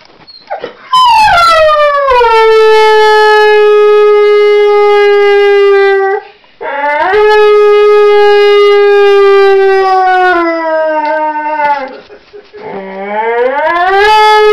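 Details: Domestic dog singing in long, drawn-out howls, each starting high and sliding down to a steady held tone for several seconds, with short breaths between and a rising third howl at the end.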